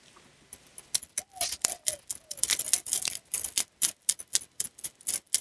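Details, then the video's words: Dog eating, recorded close-up with no talking: rapid, irregular dry crunches and clicks, bright and sharp, coming in quick bursts several times a second, with a few faint squeaky tones early on and silence between bites. "Dog Eating Sounds"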